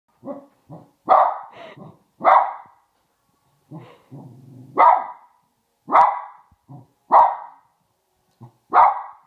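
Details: A small Maltese dog barks at Santa Claus on Christmas Eve in sharp, high bursts, with a low growl between them.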